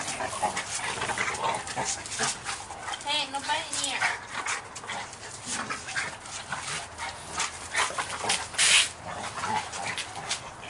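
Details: Two 7-month-old American Bulldog siblings, Mason and his sister, play rough: gruff snorts and rasping growls come in quick bursts, with a short whining growl near the middle and human voices in the background.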